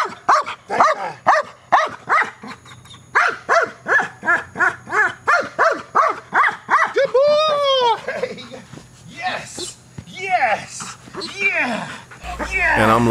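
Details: Neros, a male dog in KNPV-style training, learning to bark aggressively at a box: rapid, sharp barks repeated about three times a second for seven seconds, then a trainer's voice praising him, with high whining tones at the end.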